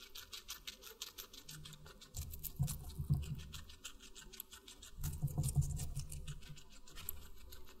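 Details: Watermelon being munched by a guinea pig: rapid, uneven patter of moist crunchy bites, about three per second, coming in two louder bouts separated by quieter nibbling, recorded close indoors.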